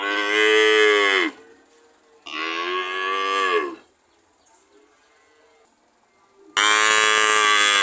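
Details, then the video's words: Cow mooing: three loud, drawn-out moos, each about a second and a half long, with rich harmonics that slide downward at the end, separated by quiet gaps with faint lower lowing. "Sound of cow"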